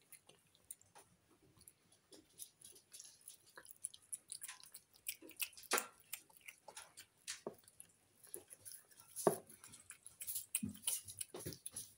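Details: Wet chewing, crunching and soft clicking from an animal eating, with no calls or vocal sounds. The bites come irregularly against a quiet indoor background.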